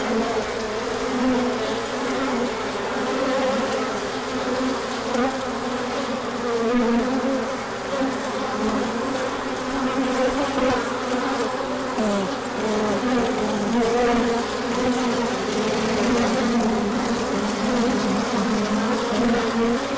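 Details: Swarm of bees on a large orientation flight in returning sunshine after a cold stretch, pollen coming in afterward; twenty seconds of steady, dense droning with wavering harmonic bands and brief swells as bees fly nearer.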